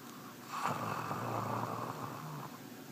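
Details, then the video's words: Gus, a pet guard dog, snoring in his sleep indoors in a small room: a steady, breathy rasp with low droning undertones lasting about two and a half seconds. "Snoring Gus"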